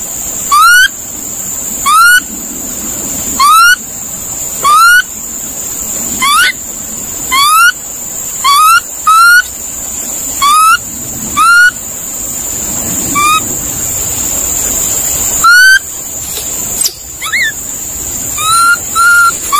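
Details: A monkey repeats clear upward-gliding whistled calls at a fairly steady pace, about one every second and a half, some fainter, set against a persistent high insect-like whine.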